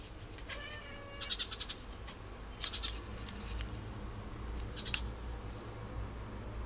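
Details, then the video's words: Pet cat talking at birds, giving a run of short chattering calls around one to two seconds in, then a brief burst near 2.7 seconds and another near 5 seconds, with a low steady hum underneath. "cat talks bird"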